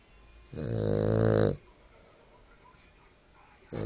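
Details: Cavalier King Charles Spaniel named Gwendie snoring, one long rasping, harmonic-rich snore lasting about a second, then quiet breathing before the next snore begins.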